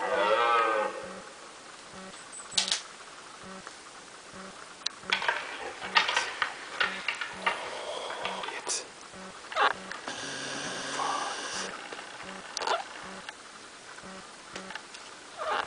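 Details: Two red deer fighting; opens with a low, harmonic, bellowing call, then sharp broadband clacks at irregular intervals that sound like clashing antlers, plus a brief burst of rough rustling noise midway.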